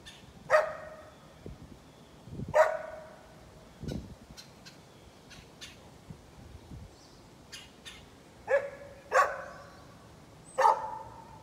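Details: A neighbor's dog barking outdoors on a November morning: single loud barks spaced irregularly, about six over eleven seconds, with faint clicks and light background noise between them.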